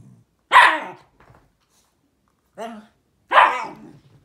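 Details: Shiba Inu dog communicating indoors: two loud, harsh, broadband barks about three seconds apart, with a shorter, softer harmonic vocal sound between them.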